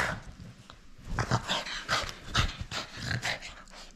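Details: French Bulldog at play, refusing to give up its toy indoors: rough, snorting growls and huffs in quick uneven bursts, rising and falling over a few seconds.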